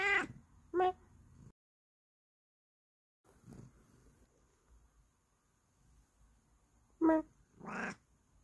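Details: Bengal cat indoors gives short harmonic meows, one near the start, another just after, then a pair around seven to eight seconds after a quiet gap; a person greets it in between.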